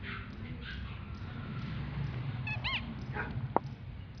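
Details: Male English bulldog puppy giving a brief high whimper, a pair of arched, rising-then-falling whines followed by a short yip, over steady low background rumble.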